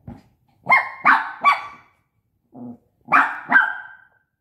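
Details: High-pitched puppy barks from Bradley, a five-month-old Shih Tzu at play with a pop-up tent: three quick yaps in a row, a brief low grumble, then two more clipped barks.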